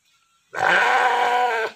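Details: A heavy stud ram, about 90 kg and used for natural mating, lets out one loud, harsh, rasping bleat of over a second after a quiet start.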